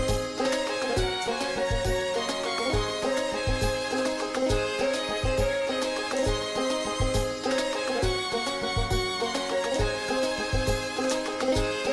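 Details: Upbeat Latin-style instrumental music with strings and steady percussion plays throughout, with no animal voice heard.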